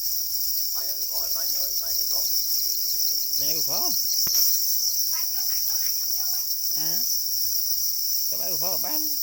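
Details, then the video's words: Steady piercing trill from black crickets guarding their eggs, described as crying angrily, constant in pitch; several short spoken phrases and one sharp click rise over the chorus. "Black crickets or para crickets are crying angrily for their eggs"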